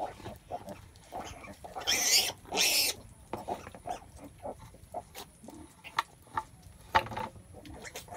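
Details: Pigs during a sow giving birth: two loud, harsh, broadband squeals early on, then scattered short low grunts and snuffling noises spaced irregularly through the rest.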